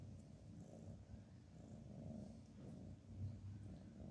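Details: Cats sleeping with their heads stuck together, purring: a low, rumbling, continuous purr with rhythmic pulses in a quiet indoor setting, steady and soft throughout.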